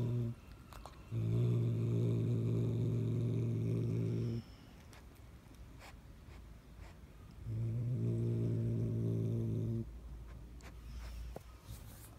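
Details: Domestic cat growling in two long, low, steady rumbles of about three and two seconds, separated by a quiet pause, with faint clicks and background hiss.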